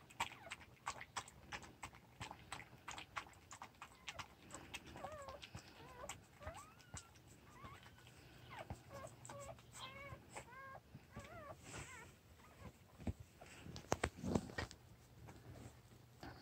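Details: Newborn puppies squeak in brief, wobbly bursts through the middle stretch, small looping whines over a steady bed of wet clicks and tapping.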